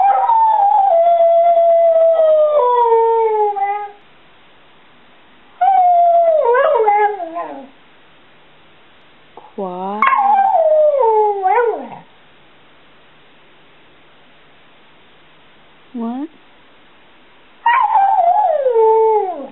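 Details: Bubba, a seven-year-old Border Collie mix pet named Stewart Little, answering questions about loving his family with a series of sliding, falling howls and yowls separated by pauses, with a woman's voice briefly between them.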